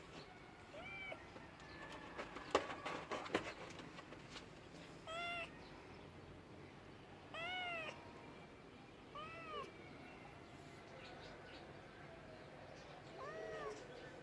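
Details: Cat giving short, quiet, arched meows spaced a few seconds apart across the stretch, with a cluster of sharp clicks and knocks early on and a soft room hum underneath.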